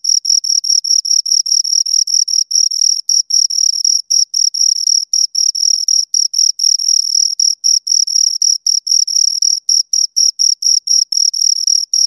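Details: High, ringing cricket chirps from a pair of crickets, dense pulsed bursts with brief irregular gaps, the two callers overlapping into a near-constant shrill trill; nothing else audible.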